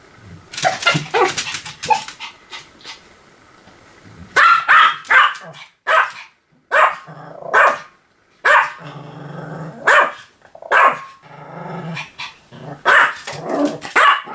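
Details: Pomeranian dog barking in bursts, sharp high yaps arriving in clusters with short pauses between, some quieter whining tones early on, recorded indoors.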